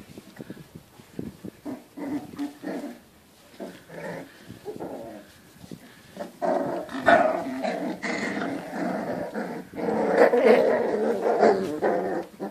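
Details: Several pit bulls making low, rough growls that build into a sustained snarling rumble, mixed with short bark-like bursts and scuffling, louder in the second half.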